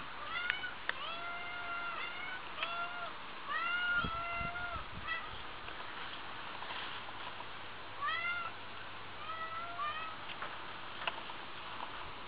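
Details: Domestic cats, two of them, giving many short rising-and-falling meows in quick bursts, some clipped and chirp-like, with occasional low thumps and steady background hum.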